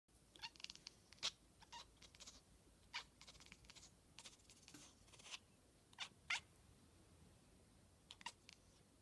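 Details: Domestic cat making a funny noise indoors while watching a fly: quiet, sharp clicking bursts come in irregular clusters, some doubled, with short gaps between them.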